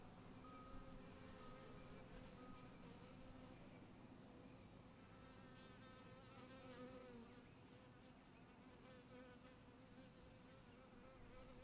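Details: At a wooden beehive where killer bees come, go and crawl about, a thick buzzing drone with wavering higher tones as individual bees pass close, steady throughout.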